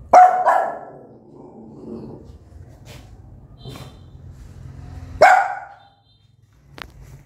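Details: Loud barks from an angry mother dog aimed at her newborn pups: a sharp bark opening, a faint one near four seconds, and another strong bark after five seconds, with quiet rumbling between.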